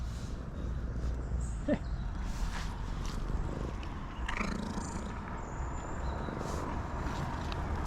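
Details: Outdoors on a forest road after rain, a hungry tuxedo cat gives a low, even purr, a dull rumble beneath scattered high bird chirps, with occasional coaxing human voice nearby.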